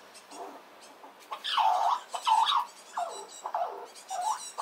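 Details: Red squirrel, a small one, making a loud racket of squeals when a rival squirrel comes near the nut supply; drawn-out, bowed squeaks that rise and fall, several in quick succession, then shorter chirps.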